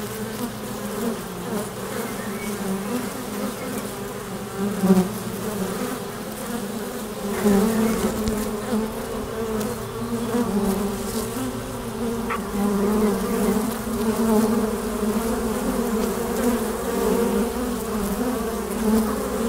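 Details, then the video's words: Continuous hum of many honey bees at the flight entrance of a beehive, a low droning buzz with swelling passes of nearby flying bees. "Bienensummen am Flugloch - 5 Minuten das Summen der Bienen"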